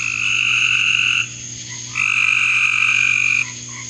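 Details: Frogs calling in a backyard: two long, steady trilled calls of about 1.3 seconds each, high and bright, separated by a short pause, over a faint constant hum.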